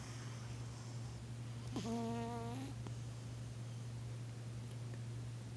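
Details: Pet cat asleep on a couch, snoring: one steady, nasal, whistled tone lasting nearly a second with a slight rise at the end, then quiet breathing over a continuous low hum.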